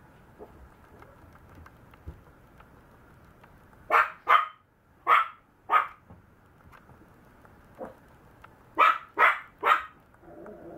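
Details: Maltese puppy barking in short bursts: two quick yips, a pause, two more, then a run of three, high and sharp against a quiet indoor background.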